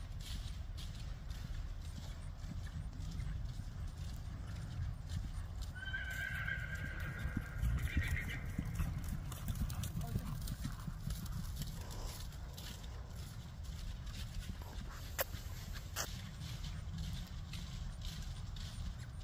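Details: Ridden Friesian mare clip-clopping in a continuous low rhythm of hoof thuds, with a clear, high, wavering whinny about six to nine seconds in and a few sharp clicks later.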